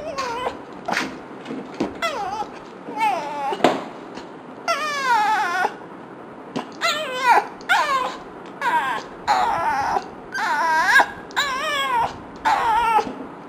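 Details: A frustrated dog reacting to fart sounds gives a run of drawn-out, wavering whines and yowls, rising and falling in pitch.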